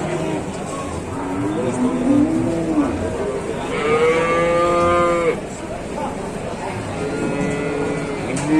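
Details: Cattle calf mooing: a short low bleat near two seconds, then a longer, strong harmonic moo from about four to five seconds that holds steady and falls away at the end, over a constant background hum.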